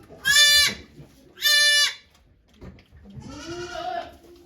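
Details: Goat bleats at Yoshigake farm, Japan, on 3 May 2023 during Okayu's delivery of twins: two short, loud, bright bleats about a second apart, then a softer, lower, rising-and-falling cry.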